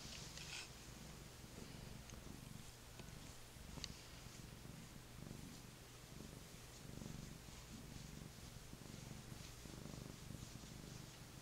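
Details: A mellow, affectionate male Maine Coon lap cat, a rescue found abandoned on Brooklyn streets, purrs steadily, a low continuous rumble with a gentle pulsing rhythm.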